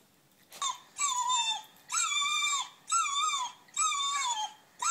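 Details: Whippet crying, played back on a screen to two listening whippets aged three years and five months; drawn-out whining cries with bright harmonics, each sliding up then dipping, repeated about once a second, five in a row, over a quiet room.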